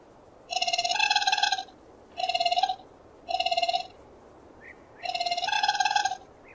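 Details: Raccoon uttering four rattling, harmonic trills of varying length, about a second apart, with tiny faint squeaks in between.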